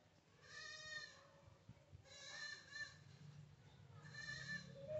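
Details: Tiny baby kitten meowing: three short, bleating harmonic meows about a second apart, each slightly wavering, over a steady low electrical hum.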